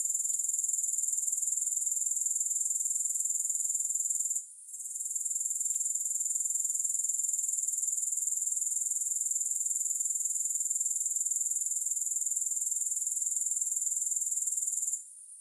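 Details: Continuous grasshopper stridulation with no music: a bright, very high, rapidly pulsing trill held steady, with a short gap in the middle and a fall in volume at the very end.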